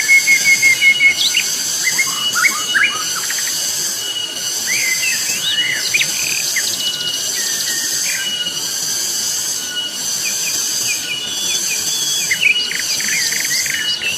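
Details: Loud cicada chorus on Mount Pabangbon: a steady, shrill high-pitched drone that swells in pulses roughly every second. Scattered whistled and chirping bird notes sound over it throughout.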